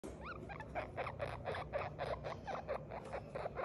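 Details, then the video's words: Baby guinea pig crying: a fast run of short squeaky pulses, roughly four per second, opening with a few higher rising chirps, over a low rumbling background. "baby Guinea pig,crying"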